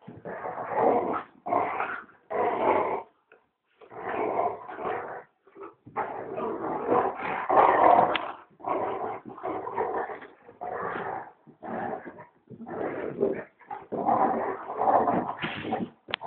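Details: Play-fight between a large dog and a puppy called Rocky inside a home, a steady run of gruff, throaty growls in irregular bursts over sixteen seconds, with scuffling between them.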